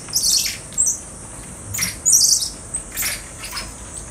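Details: Common squirrel monkeys in an enclosure at Neo Park Okinawa, Japan, erupting in excitement on spotting their keeper, perhaps at feeding time: sharp high squeaky chirps in short bursts, some trilled, with gaps between.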